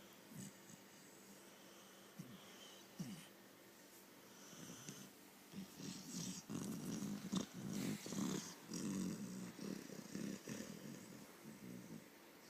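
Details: Sleeping puppy snoring with soft, rasping breaths in a steady rhythm, quiet at first, then growing louder and fuller through the second half.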